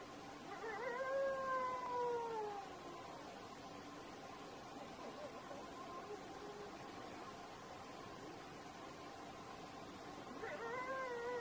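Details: Desert wolf howling: a drawn-out, gently rising then falling tone with bright overtones opens the recording, a quieter hissing stretch follows, and a second wavering howl begins near the end.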